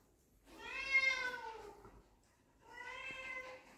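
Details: Young puppies meet their father for the first time, giving two clear, high, tonal whines about a second long. The first slides gently downward; the second holds steady. A quiet gap separates them in a still indoor setting.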